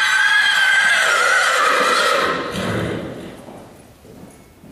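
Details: Horse loose in an arena, running around and playing; a loud, shrill whinny rises and wavers over roughly the first two and a half seconds, then fades into lower breathy sound and quieter background noise.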